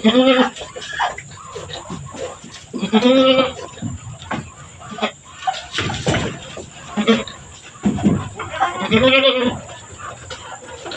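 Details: Goat on a farm during birth, with two kids born one after another; two quavering, nasal bleats at about three and nine seconds amid constant human chatter and a faint high whine.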